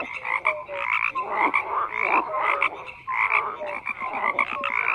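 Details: A frog chorus with many overlapping croaks: stacked pulsed calls near the middle and upper range, short tonal notes repeating every half second or so, and a steady dense din throughout, no other sounds standing out.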